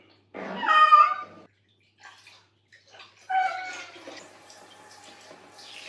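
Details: Cat during a bath indoors, giving one loud drawn-out meow followed after a pause by a second softer, wavering meow, with faint water and bathroom sounds between.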